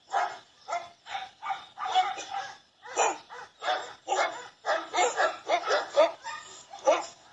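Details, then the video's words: Dogs barking in a dense, fast series, short harsh barks overlapping and following one another with barely a pause, some paired or in quick runs, no other sounds. "Лай собаки. Звук лающих собак. Dog's bark. The sound of barking dogs."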